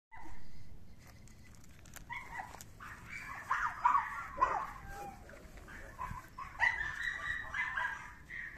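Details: Litter of pedigree Jack Russell terrier puppies, male and female, at a breeder's, give high, overlapping yips and whimpers in short bursts.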